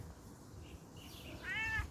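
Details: Bengal kitten out on an outdoor walk gives one short meow near the end, rising then falling with clear harmonics, after a quiet stretch with faint background hiss.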